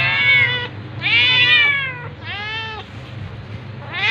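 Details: Domestic cats, a tabby attacking a ginger cat, meowing: three long, loud, harmonic meows that arch up then fall, separated by short pauses, over a low steady hum.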